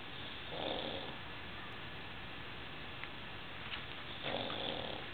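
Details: A pug snores while another dog grooms a cat nearby; two soft, rasping breaths about three and a half seconds apart rise out of quiet indoor hiss.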